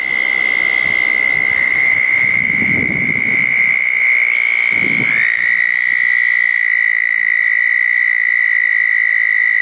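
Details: Southern toads trilling at small ponds following a thunderstorm, June 10, 2014, with eastern narrowmouth toads also present; a long steady high trill continues while low rustling thumps occur twice midway.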